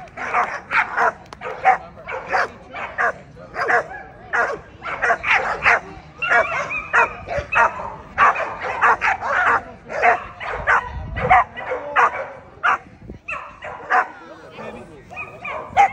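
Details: At the 2024 ADBA Tristate American Pit Bull Terrier confirmation show, 12–18 months female class, dogs keep up a fast, fairly steady run of barks and yips, briefly pausing near the end before resuming.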